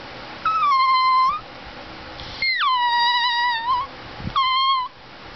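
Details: A Greyhound–Chihuahua mix named Gizmo, a talking greyhuahua, produces three drawn-out, steady whines indoors; the middle one starts higher and drops before holding level, the last is short.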